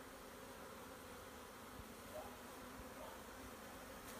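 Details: Honey bees of a swarm being gathered by hand, making a continuous soft droning hum with a few faint low thuds and a light click near the end.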